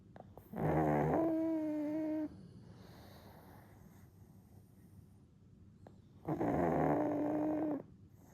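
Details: A one-year-old pug snoring while napping, falling back asleep after waking; two long nasal breaths with layered harmonic whistling tones, each lasting about one and a half seconds, separated by a quiet pause.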